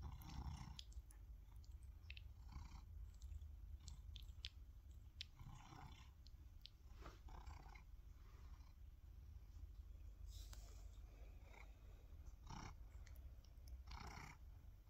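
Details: Deep, unbroken purr from a male tabby cat whose fallen whiskers were gathered in a glass jar, overlaid by repeated rustles and scratchy movement sounds throughout.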